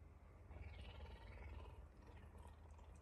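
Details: Messi, a puma, affectionate in the morning and licking a person's fingers, gives a soft, steady, low rumbling purr in rapid even pulses throughout, quiet and close, with a brief louder knock at the very end.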